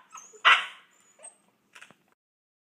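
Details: Boxer puppies Paizley and Pepsy, brother and sister, arguing over a pig ear; one sharp loud yelp-bark, then a few soft whimpering squeaks and quiet scuffling.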